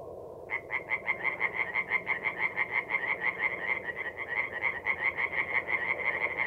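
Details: Tree frogs at a forest pond by night, mid April, north-east Italy; after half a second of low rumble a fast series of loud, nasal croaks starts and continues, several callers overlapping.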